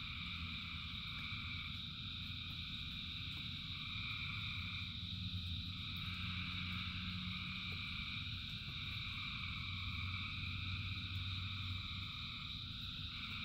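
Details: Rain-soaked frog chorus of thousands of callers, an unbroken wall of high trilling that rises and dips in waves, over a constant low hum and faint patter.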